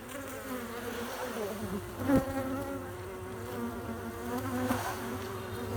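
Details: Western honey bee (Apis mellifera), buzzing.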